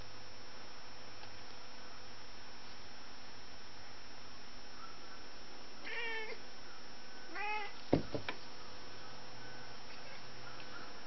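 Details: Male house cat indoors chasing a fly among windows, couches and curtains; two short, quavering chirp-like meows at about six and seven and a half seconds, then a sharp knock, all over a constant electrical hum.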